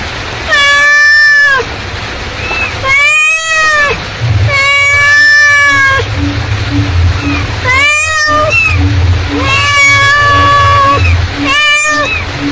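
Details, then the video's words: A mother cat calls for her kittens with a run of loud, stretched meows, each bending up then down, spaced roughly every one to two seconds over a constant low background hum and soft ticking. "suara induk kucing memanggil"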